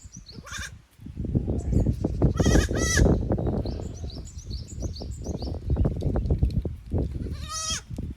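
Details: Goat kids exploring another pasture on a handmade goat farm in Japan, May 15, 2024, hesitant in the new place; sharp, harmonic bleats at the start, middle and end over constant low rustling, trampling and wind-like noise.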